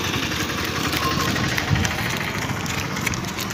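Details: A loud, constant engine drone, like a motorcycle or small motor running, with no animal voice.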